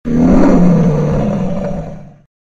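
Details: A lion gives a single deep, rumbling roar with a rough, grating edge, swelling quickly, holding about two seconds, then cutting off abruptly.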